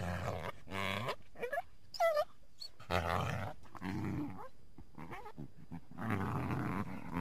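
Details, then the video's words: Winter backyard coyote calling from among the trees: quieter throaty growls in several separate bouts, some ending in short upward-bending whines, with gaps of near silence between. "Coyote Sounds"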